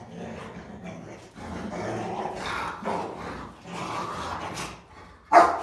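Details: Three Rottweiler girls playing and humping each other, giving growly bow-wow barks and rumbling grumbles in a string of bursts, ending in one sharp loud bark.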